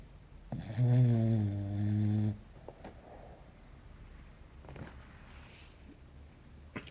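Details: Sleeping English Bulldog named Belchior, a small pet, snoring: one long, loud, buzzy low rumble lasting nearly two seconds, then quiet breathing and faint rustles indoors.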